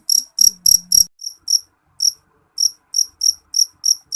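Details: Jeliteng cricket chirping shrilly: bright, high pulsed chirps about three per second with uneven gaps, and a few sharp clicks near the start.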